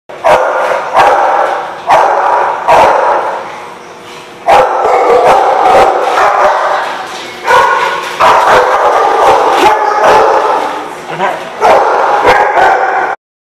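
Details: Dog barking loudly and persistently, bursts of rapid harsh barks running almost continuously with only brief pauses, dense and repetitive throughout.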